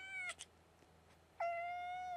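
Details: Young female domestic kitten, as yet unnamed, wanting to get into the plants: a short meow, a pause, then a long level drawn-out meow with a slight upturn at its end, heard over a quiet indoor hum.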